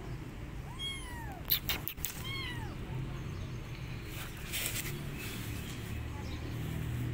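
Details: Cat meows in a scene where an abandoned kitten wants an adult female cat to adopt him and she is not interested: two clear, arching, drawn-out meows about a second apart, followed by rustling and a steady low background hum.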